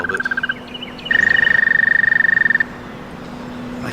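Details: Male American toads, hidden at the edge of the Delaware Canal in spring among daffodils, give long, steady musical trills, one high and sustained, another shorter and slightly lower.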